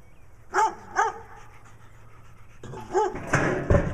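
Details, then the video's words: Brown dog barking in Wadena, Minnesota, while Stella, a dog with black eye patches, acts nutty; two clear barks, a pause, then another bark mixed with scuffling and rustling noise. "Stella the Dog with Black Eye Patches acting nutty while Brown Dog barks in Wadena Minnesota."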